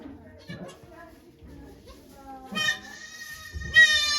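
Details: Goat at Yoshigake Farm, Japan, on 3 May 2023, during the birth of two kids to the doe Okayu with many volunteers watching; two short, loud, high harmonic bleats near the end follow quiet human talk, with a child's voice.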